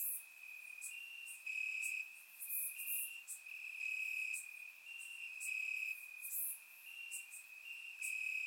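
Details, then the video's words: Crickets chirping in grass on a warm summer night in Bulgaria, recorded with a surround microphone; a steady high trill with overlapping pulsed bursts from several insects, swelling and fading every second or so. "Cricket Sounds - Crickets Chirping at Night"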